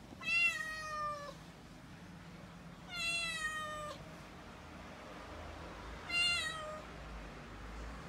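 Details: A panicked six-month-old calico kitten, female, named Mikene, cries while delivery men carry a new refrigerator into the home. There are three drawn-out, harmonically rich meows, each falling gently in pitch, spaced about three seconds apart. Quiet room hum fills the gaps.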